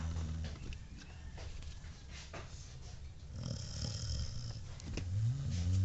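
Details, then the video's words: Pet dog Bingo asleep and snoring, a low buzzy rumble that stays fairly quiet at first, then rises into a louder, rasping snore at the close. "my dog snoring while he's sleeping"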